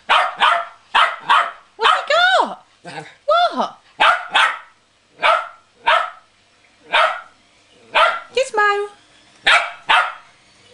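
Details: Playful West Highland White Terrier with his cuddly toy whale, barking steadily, roughly fifteen short sharp barks under a second apart, mixed with a few drawn-out whiny yelps that dip and rise in pitch.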